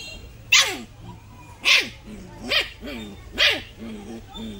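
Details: Father dog and puppy in an angry, playful fight: four sharp barks with downward-sliding tails, about one every second, with lower whining yelps between them over faint background music.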